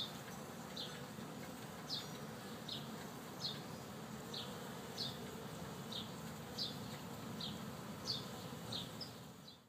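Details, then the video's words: A busy, newly installed honey bee hive, set up this week: a continuous low buzzing drone under regular faint high ticks spaced roughly every second, fading out at the end. "My Busy Beehive"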